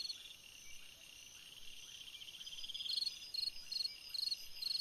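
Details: A cricket on a summer night; after a quiet stretch of steady high insect buzzing, crisp pulsed chirps begin and repeat about twice a second.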